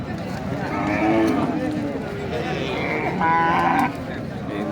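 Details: Cattle at a busy market in Nandail Chourasta, with heifers and bull calves, on 10/04/2025: a short low lowing, then a brief higher bellow, over people's voices haggling over prices.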